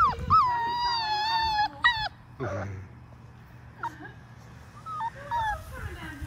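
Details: Labrador Retriever puppy, one of six five-week-olds, at a baby pool turned into a play spot with water; a long drawn-out falling whine, then scattered short squeaky whimpers amid shuffling.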